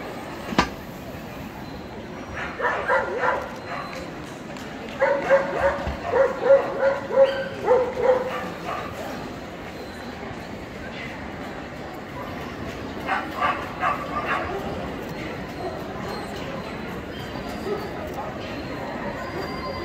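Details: Male Pharaoh Hound in the champion class at the EDS 2022 dog show. Short bursts of sharp barks come in quick runs, some several in a row, against steady hall murmur and people talking.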